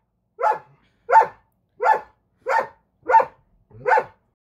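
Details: A female Siberian Husky gives six sharp, rough barks in a steady series, angry at a Belgian Malinois–husky mix that crossed a line, showing him her mean bitey face.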